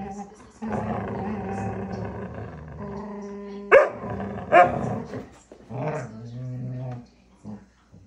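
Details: Alaskan Malamute puppies playing tug of war, giving drawn-out vocal growls and grumbles with a couple of sharp louder yips near the middle, a person speaking alongside.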